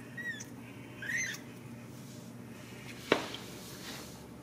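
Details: Ragdoll kittens raised uncaged in a home cattery in central Kansas give two short, thin, high-pitched mews in quick succession, the second slightly rising and wavering, followed by a sharp click against a quiet indoor hum.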